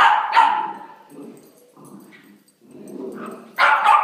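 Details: Puppies playing: a loud double yap opens, then soft low growls and grumbles, and a final burst of high, sharp barking.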